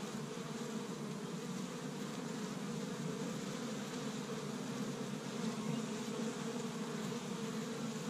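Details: Spring activity at an established honey bee hive in Michigan on the first warm day, bees collecting pollen from tree buds; a thick continuous hum of numerous wingbeats, slightly swelling near the end.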